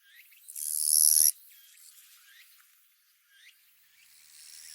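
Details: Gampsocleis buergeri, a katydid of western Japan, singing its 'chon gīsu' song: one loud, harsh, high-pitched buzz lasting under a second, followed by quieter stretches with faint short chirps in the background.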